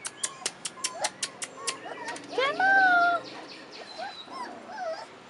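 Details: Rottweiler puppies, 4.5 weeks old, outside for the first time: a single high, drawn-out whine rising then leveling, after a quick run of sharp clicks, with a person's coaxing voice nearby.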